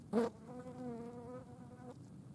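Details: Green bottle fly on a dead mouse: a sharp loud buzz at the start, then a steady steady hum of about one and a half seconds that fades out.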